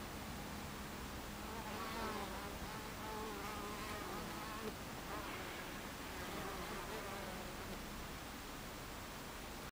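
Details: Honey bees crowd a beehive entrance in mid-afternoon, 26 July 2013, producing an even, soft wall of buzzing with faint passing hums that swell and fade.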